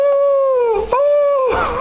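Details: A schnauzer "sings," giving a long, steady, tonal howl that dips briefly and then swells again.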